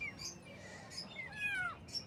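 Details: Baby kittens on their first morning; a faint downward-sliding kitten meow near the end, preceded by soft scattered chirps and squeaks in a quiet indoor setting.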